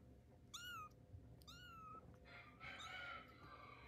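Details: Tiger-striped kitten taking its first steps, giving two high, thin meows that arch and fall slightly, followed by a longer, noisier squeaky cry with scuffling in a small indoor room.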